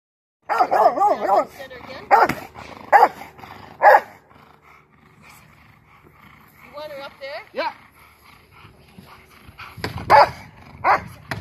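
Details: Freya, a female Rottweiler in protection training, gives deep, forceful barks in quick bursts, with a man's voice and commands in between.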